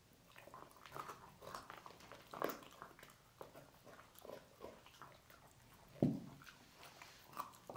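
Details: A dog crunches and gnaws on pork bones, with sharp cracks and wet chewing sounds in a quiet room.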